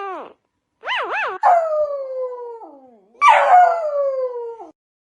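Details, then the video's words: Dog giving weird howling sounds: a short whine, two quick rising-and-falling wavers, then two long smooth howls that slide slowly downward in pitch, separated by a brief pause. "37 Weird Dog Sounds"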